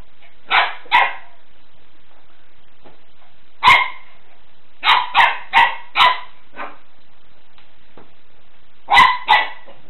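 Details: Golden Retriever at play, trying to grab a floor cloth and giving its first barks amid several tumbles: short, bright yapping barks, a pair early, a single, a quick run of four, then another pair, with quiet gaps between.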